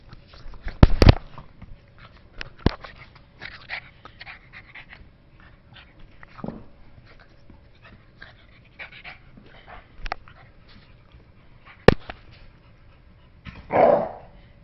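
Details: Two dogs at play indoors, Diesel and Oskar, an Amstaff and a French bulldog: sharp snorts and clicking scuffles scattered through the struggle, then a loud throaty vocal burst, barking and growling, right at the end.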